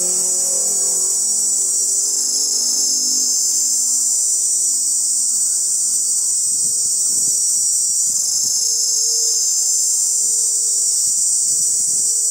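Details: Male cicadas, calling to attract females, buzz in a dense, high, unbroken chorus that swells slightly and never pauses.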